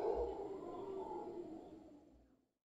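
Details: Guanacaste howler monkeys, a large troop in a tree, a sustained gravelly roar that slowly tapers off and cuts to silence after about two and a half seconds.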